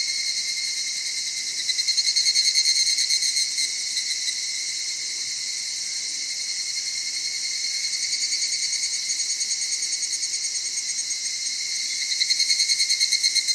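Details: Evening cicadas in Okutama, Tokyo's cedar-forested highlands with mountain streams, at dawn or dusk: pulsed ringing phrases rise out of a constant high chorus near two seconds and again near twelve seconds, with softer pulsing between.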